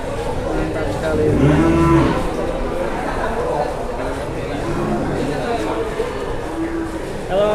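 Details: At an Indonesian cattle market, a cow gives one short, low moo early on, then is mostly drowned by conversation and general crowd noise.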